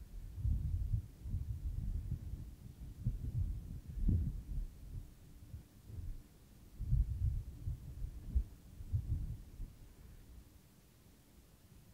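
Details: Only deep, irregular thumping rumbles are heard, like wind buffeting or handling noise, with no birdsong or other animal voice.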